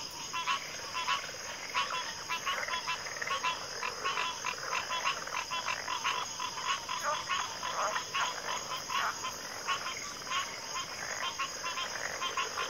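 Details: Many frogs calling together, their rough clicking croaks stacking into a dense, continuous rattle, with a thin unbroken insect drone above.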